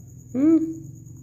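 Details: Domestic cat longing for its owner lets out one short meow that rises then falls, over a steady low indoor hum.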